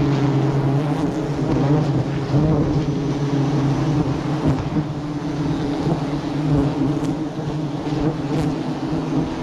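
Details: Bees swarming around a hive being harvested for honey at the start of the rainy season: a steady, low droning hum with layered tones running unbroken throughout, with occasional faint clicks and rustling.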